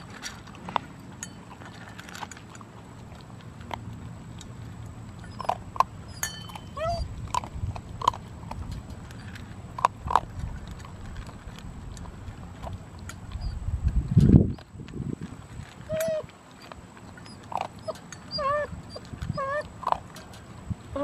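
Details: Nine-week-old female puppy named Simba, on her first day home, whines during her first meal, giving thin high squeaky whimpers amid loud crunching and chewing of hard food close to the microphone.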